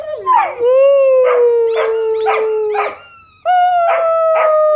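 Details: Playing Weimaraner and Old English Sheepdog excited by squeaky noises: long, steady, slightly falling howls with bursts of quick high squeaks layered on top, a brief break, then another howl.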